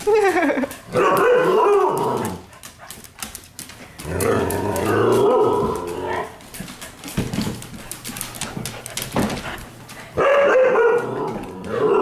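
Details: Playful pups indoors at night give three bouts of loud, wavering, harmonic growl-howls, each one to two seconds long, separated by thumps, scuffling and quieter grumbling.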